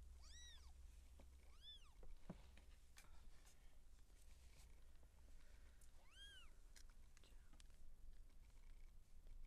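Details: Siamese seal point cat giving birth: three bowed, harmonic mews, two close together near the start and one after a pause of several seconds, with faint clicks and rustles and a low background hum.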